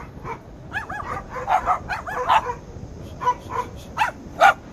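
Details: Lhasa Apso; bark; guarding the house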